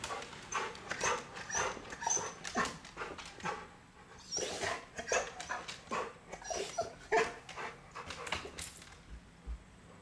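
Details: Agitated Chow Chow reacting to a teasing chipmunk that keeps peeking and hiding; a rapid run of harsh, uneven barks and yelps, roughly two per second, briefly louder midway, then tapering off into quiet at the end.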